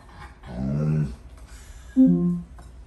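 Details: Alaskan Malamute named Tonka at home, reacting to a smart speaker that is not answering; two low grumbling, harmonic moans, the first drawn out and wavering, the second a brief higher yowl that falls, with quiet room background.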